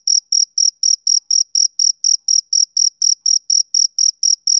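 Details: Male cricket chirping on a summer evening: steady, high-pitched pulsed chirps with a faint higher overtone, about four per second in an even rhythm, with no other sounds.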